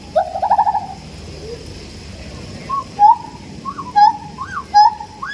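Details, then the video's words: Siamang starting with a quavering, trilled call, then after a quiet gap giving spaced level hoots answered by rising-and-falling looping whoops, growing louder toward the close. "Sound effects by Siamangs"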